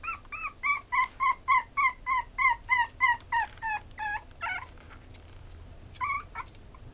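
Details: Maltese-Chihuahua cross giving a steady run of about fourteen nasal, whining yips, roughly three each second, each sliding slightly downward in pitch; the calls trail off into near silence, with one last brief pair of whimpers near the end.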